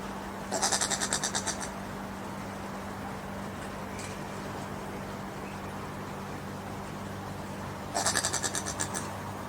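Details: Common brushtail possum filmed in Queensland, Australia, making strange noises: two short bursts of rapid, harsh pulsed chatter, each about a second long, separated by quiet, over a steady low electrical hum.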